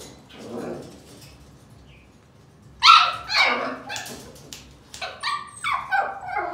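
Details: Siberian Husky puppy giving a few short, high harmonic yips and whimpering barks after a quiet start, the last second busy with quick repeated squeaky yelps; faint indoor background.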